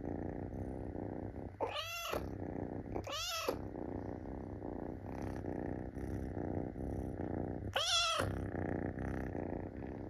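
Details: Munchkin kitten Pocha-kun climbs onto a belly, pleading to be petted: three arching, whiny meows, the last the loudest, over steady close-up purring indoors.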